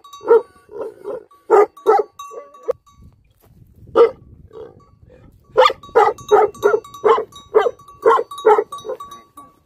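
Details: Livestock guardian dogs giving short, repeated barks in uneven bursts, a brief quiet gap, then a dense series of barks about every half second, with a faint steady high tone behind them.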